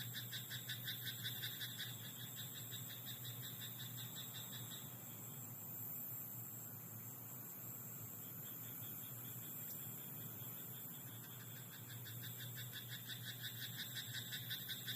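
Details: Frogs croaking in a rice paddy at night: bouts of rapid rattling pulses in the opening five seconds and again near the end, with a quieter gap between. A steady high-pitched buzz and a low hum run underneath throughout.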